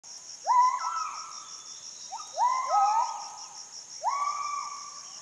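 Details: Wild Müller's gibbons, known locally as kelempiau, in Heart of Borneo rainforest at Sriwangi Village, Kapuas Hulu; loud rising whoops sliding upward then leveling, in bursts about every one and a half seconds, over a steady high insect drone.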